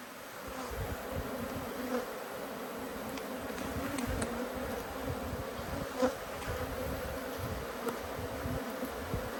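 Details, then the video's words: Two honey bee colonies, cross at being opened for inspection, fill the air with a continuous dense hum, a low droning swarm tone with occasional louder buzzes as single bees fly close. "When Bees Go Wild - Inspecting Two Angry Hives"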